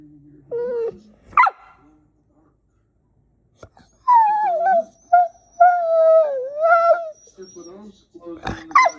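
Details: Puppy making drawn-out whiny, yodel-like moans that rise and fall, with sharp squeaky yelps near the start and at the end, recorded without added sounds; people's voices are heard nearby.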